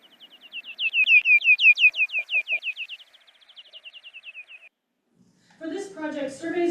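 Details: Big brown bat echolocation recorded by acoustic recording units for North Carolina's nationwide NABat bat-monitoring project, slowed down into a rapid train of downward-sweeping chirps, followed by a person speaking.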